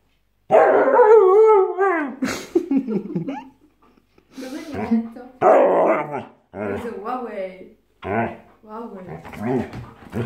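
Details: A very aggressive Siberian Husky growls and grumbles in wavering, yodel-like bursts over a pillow while a person speaking Italian tries to calm him.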